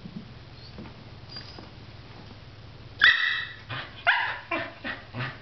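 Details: Dog barking after spotting a squirrel: quiet hum for three seconds, then a burst of loud, rough barks, roughly one per half second, fading slightly toward the end.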